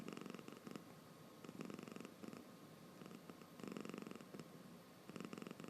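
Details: Sleepy domestic cat snoring with its eyes open: soft rasping, pulsed breaths in bursts about every second, each a buzzy rattle with quiet gaps between, recorded indoors in a quiet room.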